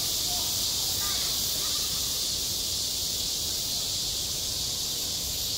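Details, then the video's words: Cicadas singing on a school playground in midsummer: a dense, unbroken high-pitched buzzing drone that holds steady throughout, with faint scattered lower sounds beneath. "한 여름 운동장에서 매미가 울고 있다"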